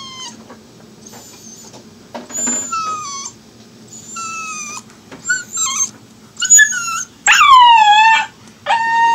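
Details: A Siberian Husky puppy, said to have its mother's vocal cords, gives high, thin whines and yips that slide downward into small howls.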